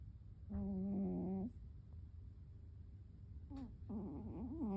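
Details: ['Sleeping cat snoring heavily: two drawn-out nasal, whistly snores, the first held steady for about a second, the second wavering up and down, over a low steady background hum.']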